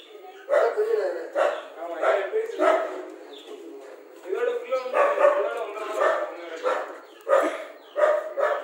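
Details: Rajapalayam dog yelping and barking in short bursts, some high and squeaky, spaced about every half second to second. Human speech is mixed in across the recording.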